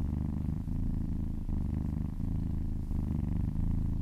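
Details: Domestic cat purring contentedly while being massaged: a steady low rumbling purr with breath-cycle breaks roughly every second, continuous throughout with no other sounds.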